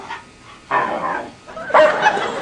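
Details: Dog making 'talking' sounds: three brief yowling, bark-like vocal bursts spaced roughly half a second to a second apart, the last loudest and slightly tonal, in a quiet indoor setting.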